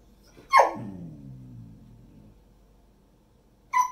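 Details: A female golden retriever that learned to escape her enclosure gives a sharp bark trailing into a low, wavering groan, then barks once more.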